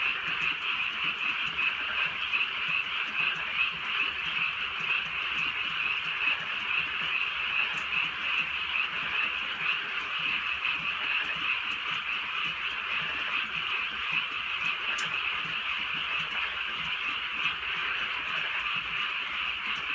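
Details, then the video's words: A rural night in light drizzle filled with frog calls: many croakers blend into one unbroken, buzzing chorus that holds steady for twenty seconds, with occasional sharp clicks of falling rain. "개구리 소리"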